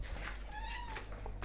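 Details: Domestic cat indoors giving a single drawn-out meow with a slightly rising then falling pitch, lasting about half a second, against a steady low hum and faint room noise.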